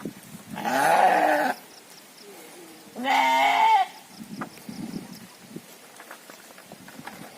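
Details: Farmed gibas sheep raised for fattening: two loud, wavering nasal bleats of about one second each, with a two-second pause between them, followed by quieter rustling and faint background noise.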